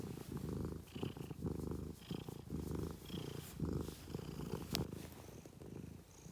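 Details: Cat purring steadily, a deep vibrating drone pulsing with each breath about once a second, with faint soft rustles in the background.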